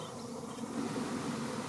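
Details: Honey bees swarming into a bait hive with swarm lure in May 2019; one bee flies close with a wavering, low buzzing hum that rises in loudness over a steady background drone of the swarm.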